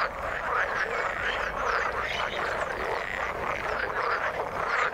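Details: Dense chorus of frogs in the water: many croaking voices overlap into a continuous buzzing, pulsing din, with a few brighter, sharper notes standing out above the mass.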